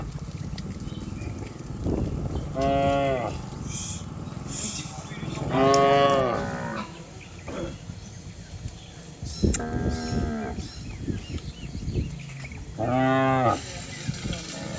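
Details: Cows and bulls running downhill on a green village hill, several repeated moos spaced a few seconds apart, some strong and rich, others shorter, over rustling outdoor background sound.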